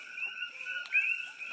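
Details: Common coqui frogs calling at night at a sanctuary in Pahoa, Hawaii Big Island, in a dense chorus of high, piping two-note calls, while chickens settle down for the night.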